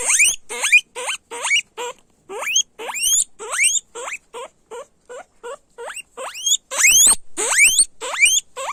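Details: Loud squealing from guinea pigs, a quick run of sharp upward-sweeping whistles repeated roughly every half second, uneven in spacing, with a few louder, harsher squeals near the middle and end.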